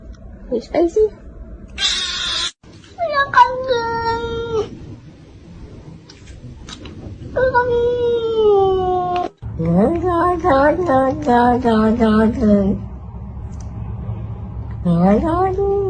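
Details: Domestic cats making a variety of sounds: a noisy hiss-like burst, then several drawn-out meows that rise and fall, some wavering and yowling, others short and repeated, with brief gaps between sounds indoors.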